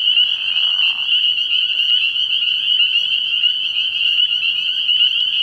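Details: Night chorus of spring peepers at a frogpond early in the year, shrill overlapping high calls sustained throughout, with a brief lower buzzing sound in the first second.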